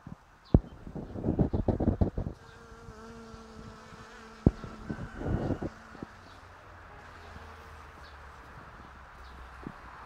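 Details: Syrphus hoverfly: a steady low droning hum with a fainter overtone, lasting several seconds, between loud rustling, crackling bursts near the start and midway, then a quieter low hum fading out.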